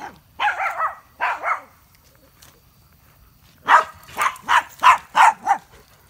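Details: Dogs (a German Shepherd, a Boxer and a Chorkie) playing wildly at a backyard campfire; two short bursts of harmonic barking, then a rapid run of six loud, evenly spaced barks after a brief pause.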